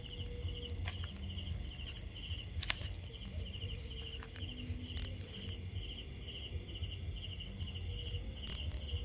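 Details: Night-time cricket chirping, a long even train of shrill, high pulses about four each second, one brief click partway through, over faint low background noise.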